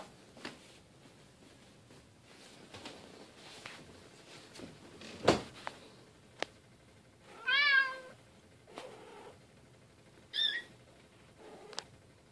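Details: Silver Bengal kitten Keylala at family play time with sister Luna and mother Xia; two clear, rising-then-falling meows, several seconds apart, amid soft thumps and clicks of play.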